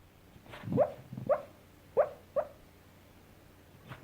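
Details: Sleeping and dreaming, Coco the brown Cockapoo, nine years old, gives a short burst of four soft, muffled yipping woofs within two seconds, then another faint one, over a quiet indoor background.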